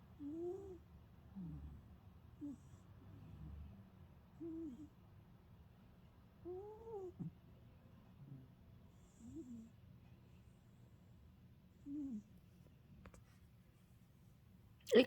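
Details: Old pet cat snoring in deep sleep: soft, low, nasal tones that rise and fall, recurring about every one to two seconds in a quiet room, ending with a sudden loud click.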